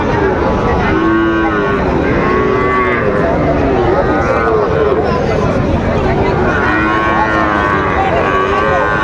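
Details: At Raniganj market in Dinajpur, 23 October 2025, Sahiwal bull calves for sale bellow in repeated deep moos, several overlapping, while a crowd of traders talks loudly and haggles over prices all around.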